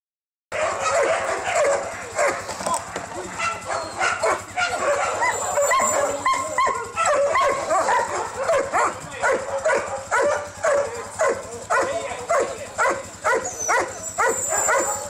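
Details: Huskies at a kennel visited on a bus excursion on 25 November 2012, a dense chorus of many dogs barking and yelping continuously and overlapping, with human voices mixed in.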